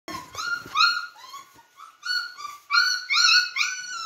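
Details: Beagle puppies playing indoors give high, clear whining yelps that rise and fall. They come in quick overlapping bursts with bright harmonics, and a few soft scuffling sounds are heard at the start.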